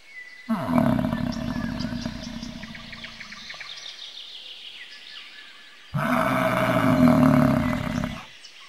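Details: Two loud, rough bellows from a bison, the first fading away over about three seconds, the second a harsh, sustained roar; birds sing faintly in the background.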